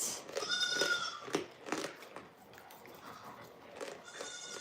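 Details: Goat on a farm letting out a short, quavering bleat at the opening and a fainter one near the end, with scraping and clunking in between.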